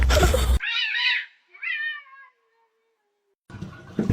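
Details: Domestic cat from a funny cat compilation: two short harmonic meows, the second wavering downward into a faint thin tail, framed by bursts of loud noise at start and end.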